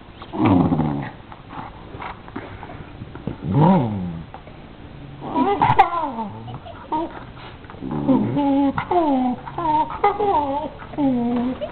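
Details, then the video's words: Pet dogs play fighting: a string of harmonic growl-whines and short yelps that bend up and down, in bursts around half a second, near four, near six, then rapidly from eight to eleven seconds, with human voices mixed in. "My Dogs Play Fighting"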